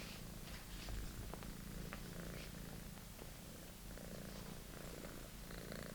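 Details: Purring British Shorthair kitten at play with a favourite toy: an even, continuous deep rumble holding steady throughout, overlaid by faint clicks and rustles.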